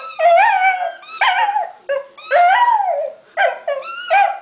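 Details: Young Staffy, five months old, howling as he plays with his squeaky toy: loud, bending wails rising then sliding down, in short bursts about a second long separated by brief gaps.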